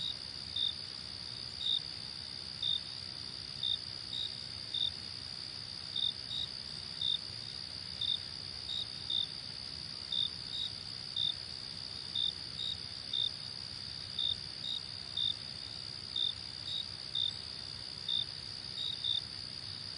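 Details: Steady run of short, sharp, high cricket chirps, about one every half to one second, some doubled, continuing for twenty seconds over a continuous high insect ringing and faint low hum.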